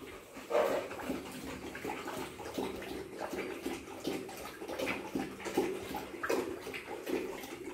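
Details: Rottweilers at home, very happy on seeing their owners again after two days apart: soft, breathy whimpers and puffs repeated irregularly, roughly forty a minute, with faint splashing noise behind.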